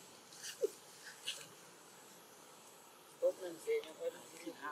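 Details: An orphaned young macaque in Siem Reap, upset, gives short, low, whimpering cries, asking for comfort and food.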